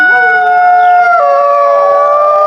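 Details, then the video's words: At night, a gray wolf gives a long, smooth howl that swoops up, holds steady, then steps slightly lower, with a second voice overlapping; howling calls pack members so they don't get lost in the dark forest. "Serigala melolong panjang di malam hari. Ini adaptasi untuk memanggil anggota kelompoknya."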